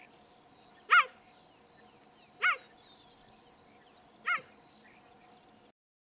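A cheetah gives three short, high, yelping chirps, spaced a couple of seconds apart.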